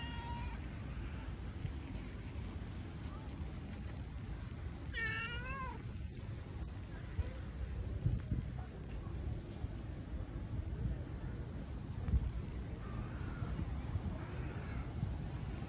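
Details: A tabby cat seeking love gives a faint meow at the start and one clear, wavering, drawn-out meow about a third of the way in, against constant low-pitched background hum.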